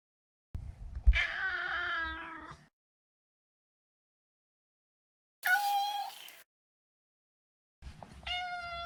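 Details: Maine Coon Maro, a neutered male cat, meows three times with long silences between: a long wavering, strained first cry, then a shorter clear meow, then a rising one cut off at the end.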